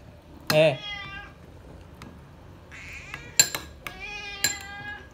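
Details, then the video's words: Srintil, a pet cat, crying loudly to beg for food: several harmonic meows, one short and sharp, then longer drawn-out wails that rise and fall, mixed with sharp clinking taps like cutlery and faint human voices. "TERIAKAN SRINTIL MINTA MAKAN BIKIN TELINGA SAKIT"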